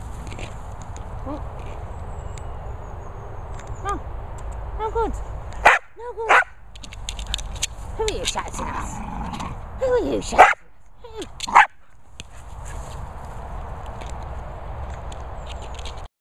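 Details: Staffordshire Bull Terrier playing: a few short, rising yips and whines scattered through the middle, with a person talking and encouraging over them and quiet stretches before and after.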